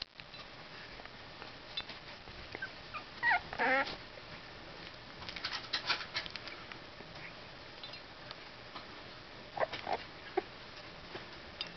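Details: Two-week-old Basenji puppies of one litter, just starting to open their eyes, give thin, high whimpers and squeaky yips in short, irregular bursts separated by quiet stretches, over a faint background hiss.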